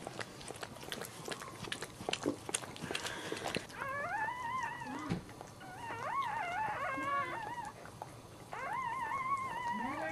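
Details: Newborn Dachshund puppy crying indoors just after birth while its mother is giving birth to the litter: after a few seconds of rustling and handling noise, high whimpering squeals rise and fall in repeated bursts, with short pauses between them.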